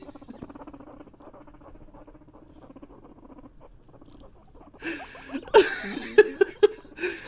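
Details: Guinea pig mother with her sons eating celery: fast, steady crunching and munching patter for several seconds, then rustling, louder clicks and a brief squeak-like sound near the end, with a person laughing nearby.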